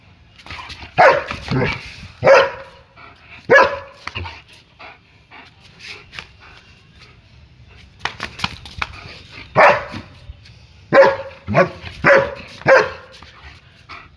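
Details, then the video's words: German Shepherd barking during play; sharp single barks in loose clusters, some doubled, separated by quieter stretches with faint background rumble. "GSD - playing & barking"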